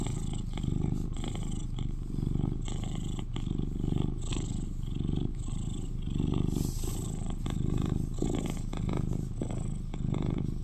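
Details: Eleven-year-old male British Shorthair cat, a cuddly household companion and the loudest purrer at home, recorded up close for relaxation: deep, steady rumbling purr with soft pulsing swells, continuous throughout.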